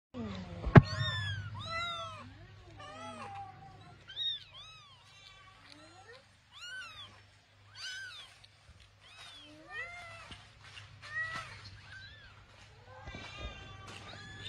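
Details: Several cats and kittens meowing in a home; a steady run of short, high, arched mews follows one after another, with a constant low hum beneath and a sharp knock near the start.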